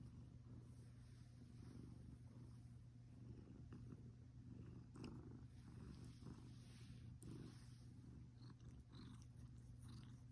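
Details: Sleeping house cat snoring at home, an older cat that dozes often; quiet low-pitched rumbling breath noise that rises and falls gently, under a constant low droning hum with occasional faint ticks.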